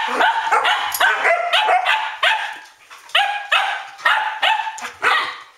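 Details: Standard Poodles barking at midnight on 12 August 2014, a steady run of loud resonant barks about one every half second, tapering into a regular beat near the end.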